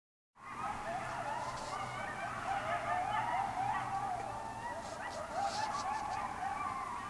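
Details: Several coyotes running loose in a backyard give a frenzied chorus of overlapping wavering yips and quavering howls that rise and fall without pause.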